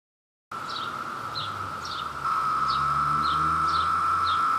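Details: Brood II periodical cicadas in New Jersey at peak emergence, with a male courting a female while others chorus for mates. A steady, loud, high buzzing drone holds throughout and gets louder midway. Birds add short repeated descending chirps.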